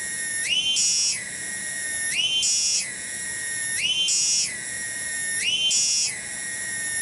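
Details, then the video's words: Rhythmic song of a tonggeret cicada in a village garden, Cibening, Bungursari district, Indonesia. The shrill ringing buzz never stops and steps up to a brighter peak roughly every 1.7 seconds before falling back to its steady base. "SORA TONGGERET DI KEBON"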